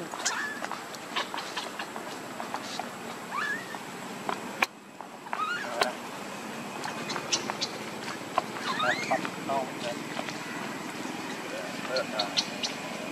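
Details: Hungry baby monkey Lucie crying for milk: repeated short upswept squeaks and chirps through the clip, clustering around the middle and later, over a busy background of voices and clicks.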